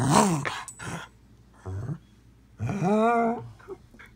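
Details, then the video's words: Jug, a Jack Russell-Pug mix dog, begging for food indoors: a short groaning whine at the start, a brief low grunt, then a longer drawn-out whine that rises and falls in pitch, all in a small room. "Jug Dog Wants Food."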